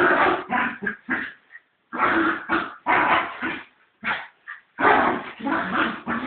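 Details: Fox Terrier fighting its cat, with choppy, hoarse barking and growling in uneven clusters, short yaps mixed with longer rough bursts, separated by brief silences.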